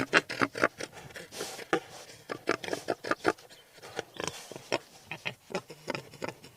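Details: A wild boar from Ukraine grunts and snorts in quick, uneven bursts, two or three per second, with short pauses between runs.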